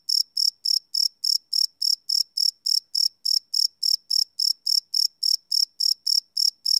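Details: Crickets chirping and cricking at night, live recording on a Sony PCM D100; sharp, piercing chirps follow one another in a regular rhythm of about three and a half per second, background otherwise silent.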